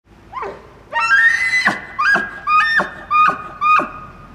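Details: An elk bugles in September 2009, a rising whistle followed by several short, repeated squealing grunts.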